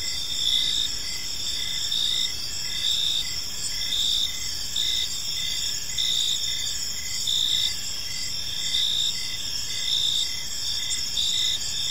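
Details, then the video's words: Chirping crickets fill an evening park, high sustained trills punctuated by regular pulsed chirps close to once per second, multiple insects overlapping, mild low rumble in the background. "Park Serenade: Cricket Sounds in a Peaceful Park | Evening Ambience"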